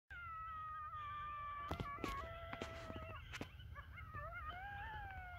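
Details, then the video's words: Wild coyote pack howling a few minutes after sunset on the North Table Mountain mesa near Golden, Colorado, as the riled-up group bands together: several sustained, overlapping wavering howls with sharp yips and barks breaking in. "Coyotes Howling, Yelping, and Gathering"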